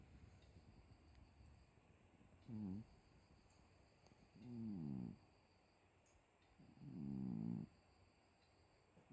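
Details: Domestic cat snoring while asleep, three soft raspy breaths growing longer and louder, spaced about two seconds apart, over a noisy background hiss and faint high electrical whine.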